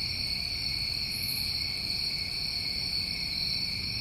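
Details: Summertime crickets in New England form a steady, unbroken high trilling drone in two bright bands, with faint soft pulses above and a low rumble of background noise underneath.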